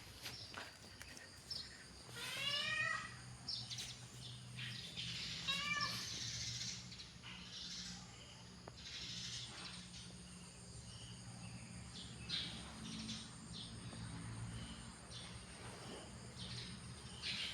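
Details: An angry cat gives two rising, harmonic wailing cries a few seconds apart, followed by quieter breathy hissing sounds over a steady background hum.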